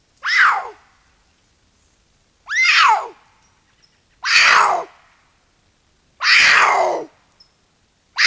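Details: Puma, a male, patrolling a canyon in Angeles National Forest on December 7, 2022, screaming as a likely message to another male; harsh descending screeches about a second long, repeated every two seconds, in a quiet setting.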